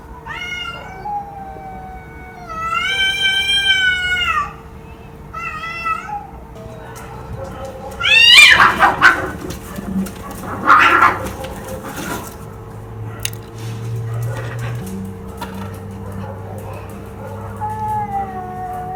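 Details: Cat meowing several times in the first six seconds, one long wavering meow among shorter ones, followed by clattering knocks and thumps and a low rumbling background.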